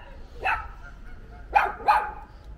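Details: Dog at a small home zoo barking at goats near an aviary under construction; three sharp barks, one alone and then two in quick succession about a second later, over a low outdoor rumble.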